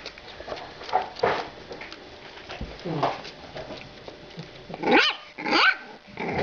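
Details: French Bulldog puppies, two females aged 45 days and born on 23 December 2011, make short harmonic yelps and whiny growls in scattered bursts. The last two, near the end, are louder and rising-falling. A soft background hiss runs throughout.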